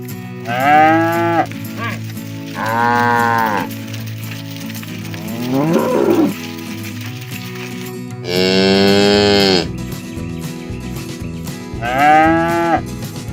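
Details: Herded village cows out in the fields, lowing to call their companions home to the barn. Five separate moos over thirteen seconds come at uneven gaps, one brighter and louder than the rest, with a steady low tonal drone beneath.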